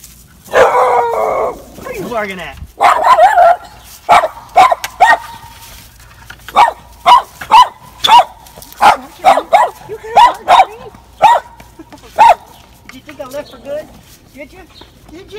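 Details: Dog reunited with its owner after a long time, letting out a fast series of short, high, yelping whines repeated about twice a second, while a person greets it with repeated hellos.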